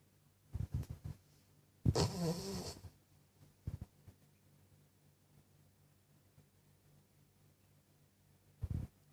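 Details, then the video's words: Snoring Cavalier King Charles Spaniel in a small room: several short low snorts, then one longer raspy, breathy snore near the middle, a couple more brief puffs, and a final snort after a quiet stretch. "Cavalier King Charles Snoring"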